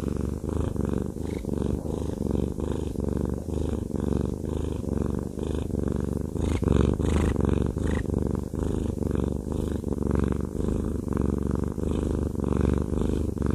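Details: Haku, a fluffy male pet cat, purring steadily while having a massage, a low continuous rumble pulsing in quick regular beats with soft rustling of fur under the hands throughout.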